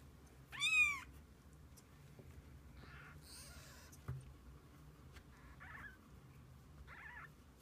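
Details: Kittens and their mother cat spending the day together indoors; one loud, high, arched meow early on, followed by a few fainter, shorter mews spaced over several seconds against a low steady hum.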